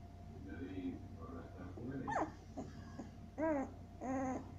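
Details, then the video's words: Seven-day-old Siberian Husky puppies indoors, giving soft high whimpers and then two louder, clear, arching whines close together near the end, over a low room hum. "Siberian Husky puppies 7 days old"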